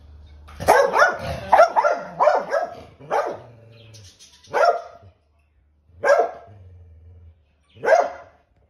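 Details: Chow Chow named Chow and another dog, Bruce, during a visit, upset over a bone Bruce would not share; a rapid burst of loud harsh barks, then single barks spaced about every one and a half seconds, with a low hum between.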